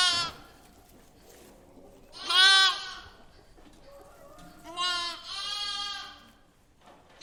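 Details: A lamb in a barn bleats several times, high and quavering, with quiet pauses between calls.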